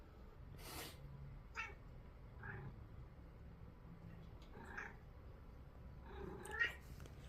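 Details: Domestic cat reacting to a sniffle indoors, giving a few short, soft meows spaced a second or two apart, each with a brief rising-falling tone, over a quiet background with faint low hum.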